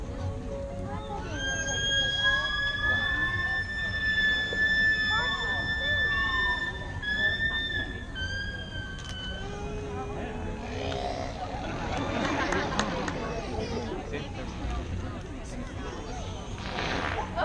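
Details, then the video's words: Killer whales in a 2017 SeaWorld presentation, vocalizing by forcing air past a muscular flap over the blowhole; long drawn, siren-like tonal calls with stacked harmonics sliding up and down, then a burst of noisy pulses, with faint background noise. "They have a muscular flap that covers their blowhole, and they're able to force air out at different pressures and make sounds. Let's listen."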